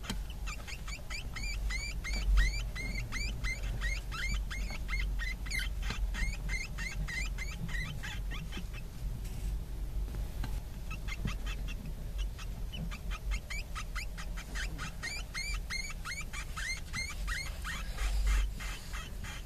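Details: Seven pet Djungarian hamster babies, filmed from birth to separation from the nest, give rapid high-pitched squeaks and chirps, many short calls overlapping in quick runs, with a brief quieter pause midway and low rustling underneath.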